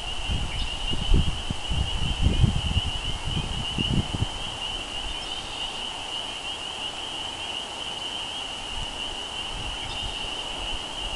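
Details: In spring, frogs call together in a steady, high-pitched trilling drone, with rustling early on.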